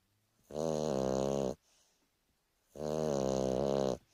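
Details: Boston Terrier snoring through a lazy afternoon nap indoors: two long harmonic snore breaths, each over a second, separated by a quiet pause with a soft exhale.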